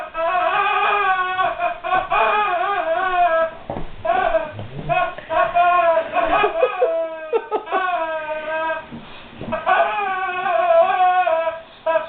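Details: Guard dog puzzled by a squeaky toy, whining almost without pause: high, tonal, quavering cries that rise and fall, broken by short gaps, in a small indoor room.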